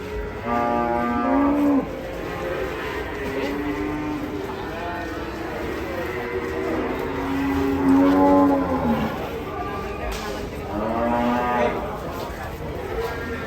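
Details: Agitated, rampaging cattle moo loudly. Four long, low, harmonically rich bellows arrive roughly every three seconds, some drawn out and falling at the end.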